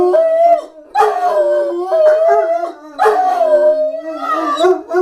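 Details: Loud, close howling from Cedric the dog in a howling demonstration, with wavering, overlapping voices breaking into several surging bursts about a second apart, rough and yodel-like rather than a single clean tone.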